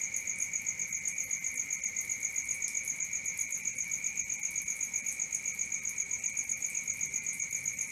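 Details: Crickets chirping after dark: a bright, metallic pulsed trill repeating steadily around four times per second alongside a continuous lower-pitched drone, with a calm, empty background.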